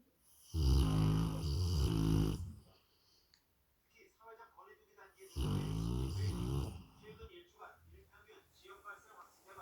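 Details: A Rottweiler sleeping beside a Labrador Retriever snores in loud, low, rattling bursts of about two seconds, roughly every four seconds, with softer breathing and faint murmuring between them.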